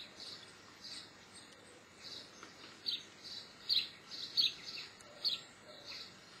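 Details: Chirps from a Geoffroy's marmoset, the tufted-ear marmoset of Brazil: high, clipped notes come in a quick, uneven string, growing louder and more frequent in the second half over soft constant hiss.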